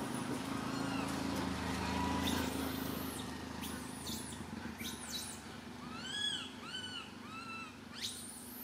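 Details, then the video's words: Little monkey Santo crying on a tree branch, loud enough that his mother Sara cannot care for him; arched, wavering cries start midway, repeated several times, over a steady low hum and broadband rustling. "Little Monkey SANTO cries on the branch tree so loudly Mama monkey SARA can't take care of him"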